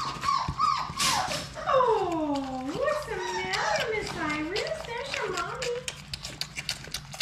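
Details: Playful Labrador Retriever puppies from Sadie's litter of six in their play room; a long tonal whine slides downward, then wavers up and down in rolling swoops, with faint pawing clicks and scuffling behind.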